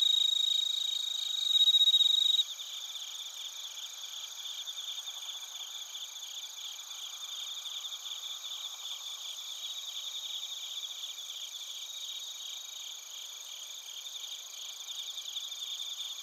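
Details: Crickets including bell crickets in Narita, Chiba Prefecture, Japan, recorded with a TASCAM Portacapture X8: a close, loud ringing trill opens for about two seconds, then a steady, evenly pulsed chorus of high chirps continues.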